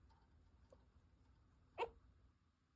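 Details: Pet chinchilla being brushed and disliking it gives one short, sharp squeak that rises and drops quickly, surrounded by quiet indoor background with a faint low hum.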